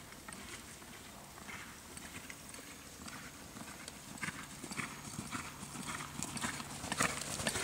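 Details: A gelding born in 2007 moves with loose, uneven clip-clop hoofbeats, about two per second, on a hard surface. The steps grow louder and sharper toward the end, over a steady background hiss.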